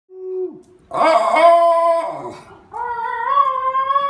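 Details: Female Basenji yodelling indoors after her brother got her started: a brief falling note, then a long, rich, wavering yowl, and finally a rising, warbling tone held to the end.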